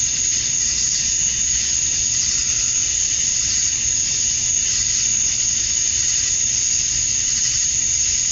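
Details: Male cicadas in Georgia, USA, chirp at summer dusk to win females, blending into a dense, high-pitched droning wall of sound that stays level and steady throughout.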